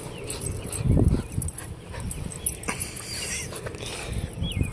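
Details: A Boston Terrier makes low, throaty, gurgling grunts and huffs as a pre-walk ritual, with one louder burst early on, then softer snorts and murmurs; faint high squeaks and room noise behind.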